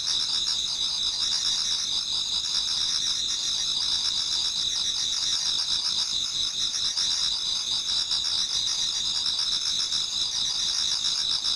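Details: Autumn insect chorus in a Japanese garden as dawn approaches: many insects trilling together in a continuous, very high, finely pulsed shimmer of two layered tones, constant in volume and uninterrupted by other sounds.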